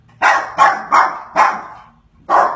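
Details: Pet dog barking at a cheetah shown on television. Five sharp, loud barks come in quick succession over two and a half seconds, with a brief pause before the last one. Nothing else stands out.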